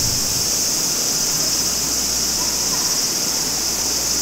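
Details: In summer at Maruike spring-water pond at Mt. Kirishima, Japan, cicadas give a steady, high, hissing drone over the soft rush of a clear running stream.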